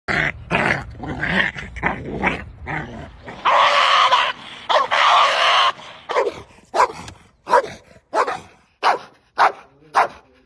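A Belgian Malinois barks loudly in sharp bursts, with a snarling, growly edge between barks.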